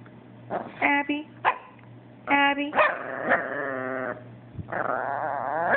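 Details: Pet Chihuahua Abbie voicing complaints because the Yorkie Sebastian took away her toy; short sharp yips followed by long wavering, moaning whines that bend up and down, with a low steady hum underneath.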